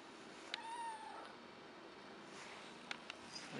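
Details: A few-months-old kitten named Patches begging for food indoors; one short descending meow early on, followed by faint clicks and handling noises in a quiet room.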